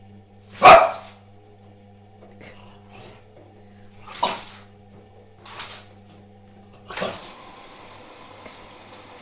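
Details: Nine-month-old French Bulldog indoors barking at a washing machine seen for the first time: a few short, sharp, noisy barks spaced irregularly over several seconds, with a steady low machine hum beneath.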